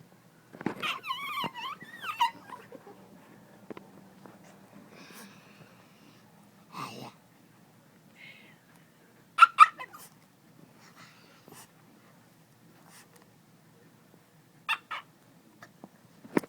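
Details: Pet dog coaxed by family members into making a funny noise indoors: wavering, whiny vocal sounds at the start, then scattered short sharp yelps and squeaks, with quiet background hum and voices urging it on.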